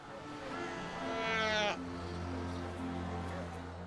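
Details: Seal mother calling in a large colony as her pup searches for her before they reunite. One brief, loud, harmonic call rises and wavers for about half a second. A steady low musical drone plays throughout.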